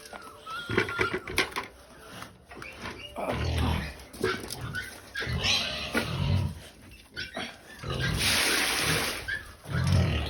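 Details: Pigs being given food, giving short, deep, low grunts spaced a few seconds apart, with people talking nearby and a broad hissing noise near the end.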